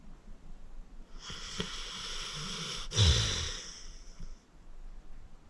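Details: One long, rushing snore from Acorn, an elderly pit bull adopted from Cuyahoga County Animal Shelter, sleeping soundly: a broad hissing inhale of about three seconds with a rough, snorting catch in the middle, then quiet.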